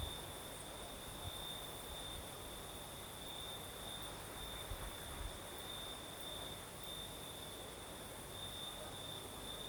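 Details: Crickets singing at night in southern Crimea, a steady high pulsing chirr holding one pitch throughout, with a fainter, higher shimmering band above, over the soft rushing hiss and low rumble of a night breeze.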